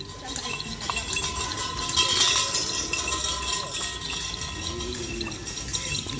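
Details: Outdoor crowd chatter and hiss with a faint steady tone and scattered clinks, recorded while cattle are readied for a kerapan sapi bull race at Asemanis.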